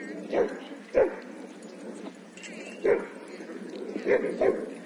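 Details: Barking in a busy dog park: five sharp, punchy barks, one pair close together, set against constant background chatter of many people.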